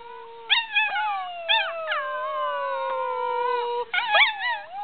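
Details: A six-month-old medium Australian Shepherd puppy learning to howl gives a thin, wavering howl broken by short rising yelps.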